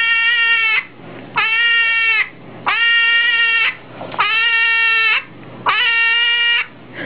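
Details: Five drawn-out, bleating hedgehog screams, each rich in harmonics and held about a second, repeated roughly every one and a half seconds with quiet gaps between.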